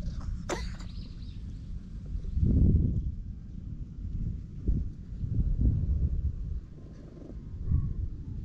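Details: A ginger tabby cat found in a park purrs loudly as it is petted, captured with a GoPro HERO8. The deep rumble swells and fades in slow breath-like surges, with a sharp click near the start.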